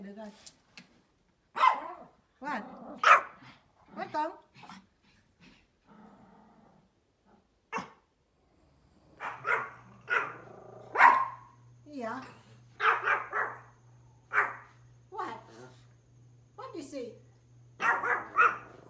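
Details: Outside, a small Pomeranian dog lets out scattered short, sharp barks, singly and in brief clusters, mixed with a person talking in Vietnamese and a steady low hum in the later part.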